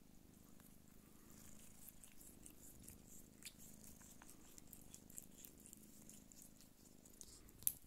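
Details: Nursing Sphynx mother cat purring continuously in a low, even rumble while her kittens feed, with light scattered clicks and rustling and a brief sharp sound at the end.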